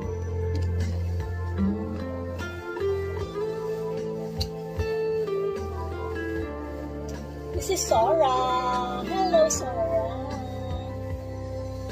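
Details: Soft tender music with guitar and singing plays throughout, with no animal voice heard.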